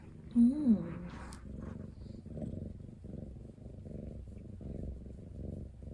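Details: Ten-month-old male British Shorthair cat kept indoors and put on a diet, touchy around food; a short rising-falling meow opens, followed by steady low rumbling purring pulsing throughout.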